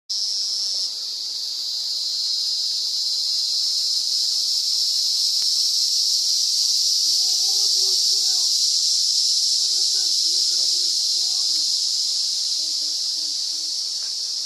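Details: Emerald cicada (Zammara tympanum) recorded in the RPPN Corredeiras do Rio Itajaí reserve, Itaiópolis, Santa Catarina, Brazil: a loud, unbroken high buzzing drone held steady throughout, with faint low chirps from another animal in the second half.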